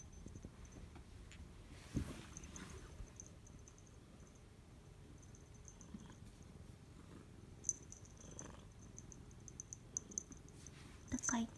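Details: A 13-year-old female rescued patched cat in a good mood, just home from a night out, purring at her owner as if saying she is back: soft, steady low rumbling purr, with a few faint clicks and rustles indoors.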